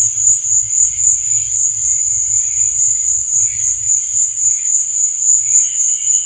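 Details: Night-time cricket chorus as an unbroken, shrill pulsing trill high in pitch, over a faint, irregular low bubbling pulse.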